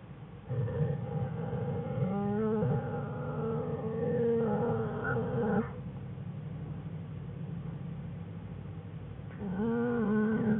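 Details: American black bear cubs Fern and Herbie whining in their den beside mother Jewel on January 5, 2013. Sustained, harmonic, droning whines come in a long five-second bout, drop to low murmuring, then rise again near the end over quiet den noise.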